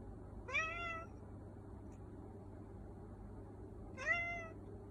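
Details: Black cat giving two bright, short meows about three and a half seconds apart, each rising sharply then levelling off, over a quiet low background hum.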